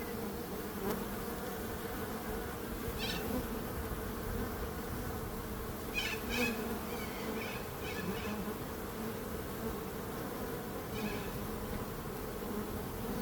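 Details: A steady low bee hum fills the whole stretch, with faint high chirps from another small creature breaking through several times midway and near the end.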